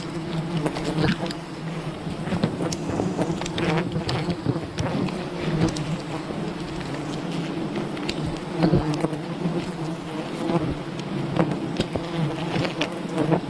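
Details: Honey hunting at a wild bee colony: a thick, unbroken swarm buzz, low and even, with layered hum and irregular crackling taps and snaps throughout.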